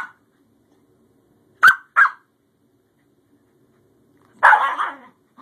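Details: Newly adopted Scottish Terrier Bjorn at play with his older sister Savannah; a quick pair of sharp barks, a pause of over two seconds, then a longer rasping bark, all against near silence.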